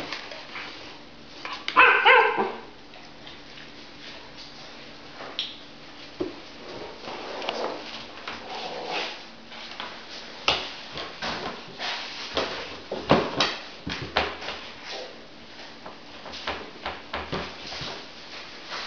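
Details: Moose, a Giant Schnauzer puppy, plays in a plastic basket in a kitchen indoors. A single sharp, high yip-like bark rises near the start, then scrabbling, rustling and knocking against the plastic continue throughout.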